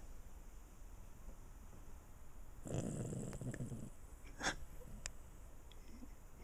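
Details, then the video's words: Andre, a pet dog, snoring while asleep indoors: one rough, breathy snore lasting about a second, followed by a few faint clicks in an otherwise quiet room. "Andre snoring"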